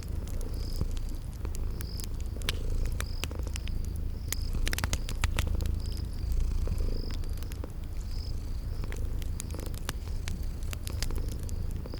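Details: Sleeping kitties purring in a cozy spring garden ambience beside a crackling fireplace: a deep, steady rumbling purr that swells and eases with each breath, overlaid by sharp fire crackles and short high chirps repeating about every second.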